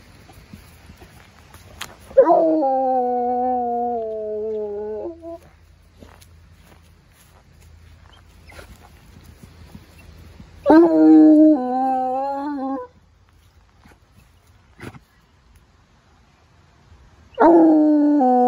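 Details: Coonhound, a hunting dog, howling after picking up a scent on a walk: three long drawn-out bays with rich harmonics, each about two to three seconds, separated by quiet pauses, with faint low rumble between.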